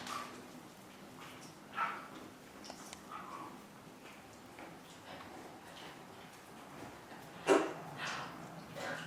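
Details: Young Chihuahua pups indoors in their puppy house, April 14, 2012, giving scattered short high squeaks and whines, one sharper cry near the end, with quiet room noise between calls.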